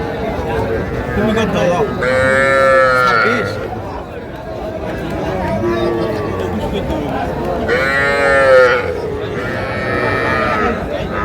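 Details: Young Sahiwal cattle calves at a Faridpur cattle market, 17 March, where small bull and heifer calves are sold: two loud, drawn-out harmonic moos about five seconds apart, rising then falling, over steady crowd talk and bargaining voices.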